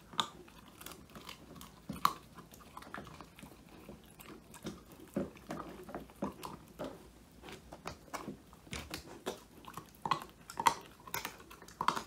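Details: Woody, a male Old English Sheepdog born in 2019, crunching through a whole quail treat, his first snack, filmed indoors on a phone; irregular sharp bites and crunches, some loud, scattered across quiet room tone.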